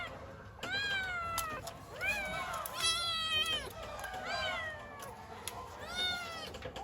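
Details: Kittens wanting their mother give bright, arched meows in quick succession, some overlapping, each with a rising start and falling end, over a light background hum.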